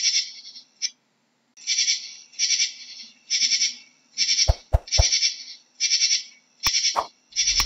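A katydid gives loud, scratchy buzzing pulses, each burst lasting about half a second with brief gaps between. A few sharp clicks and knocks sound near the end.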